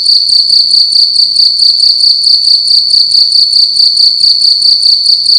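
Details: Loud indoor cricket at night inside a room, giving a sustained shrill high-pitched trill of quick even pulses that never pauses, with slight low background rumble.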